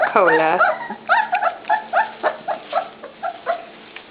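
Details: Pups at dinnertime: a long wavering whine opens, then a run of short, evenly spaced yelps follows about every third of a second and slowly fades.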